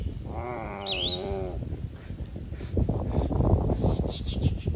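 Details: Grazing cattle in a green field; one wavering, drawn-out moo of about a second and a half, overlapped by a swooping bird whistle, then rustling and low chewing-like noises with faint chirps.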